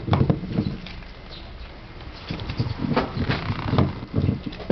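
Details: A Basset Hound working on a piece of gum, its mouth making rhythmic smacking chomps about twice a second, low thumping bursts with crisp clicks, a brief quieter pause in the middle before the chewing resumes.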